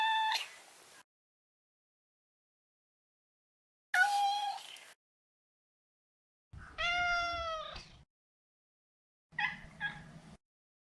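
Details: Maro, a neutered male Maine Coon kept as a pet, meows four times at intervals of roughly three seconds; the third call is longer and wavering, the last short and broken.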